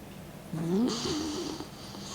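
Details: Mick, a 16-year-old elderly dog, sleeping indoors with his tongue out and snoring: a wavering, whistly tone rising and falling, followed by a loud breathy hiss of air, in a small quiet room.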